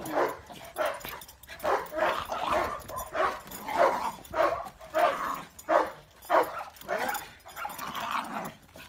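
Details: Dogo Argentino and Cane Corso dogs fighting: rough, harsh bursts of barking and snarling come in a fairly steady run, about one every half second, with people shouting nearby.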